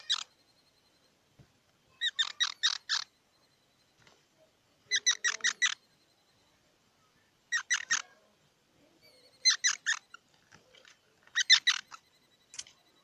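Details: Squirrel calling in short bursts of three to five sharp, harmonic squeaky chirps. Each burst lasts about a second, with bursts roughly every two seconds against a quiet background.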